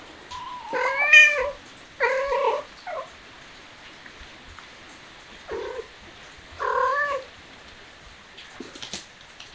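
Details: Cat meowing in a quiet room: five wavering, nasal meows at irregular intervals, the first long and rising then falling, a brief clipped one near the third second, with faint clicks and shuffling between calls.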